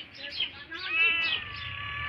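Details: Pet cat that is hungry makes a wavering, nasal meow that swells in the middle and trails off. Soft speech and faint music play in the background.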